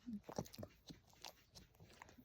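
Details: Sleepy French Bulldog indoors making soft, brief whimpering grunts and snuffles in short scattered bursts, with a woman's gentle voice talking to the dog nearby.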